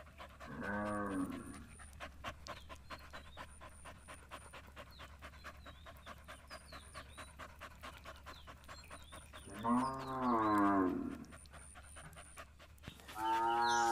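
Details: Gir cattle at milking time: three deep, drawn-out moos, near the start, around ten seconds and at the very end, with a steady low hum and faint clicking between calls.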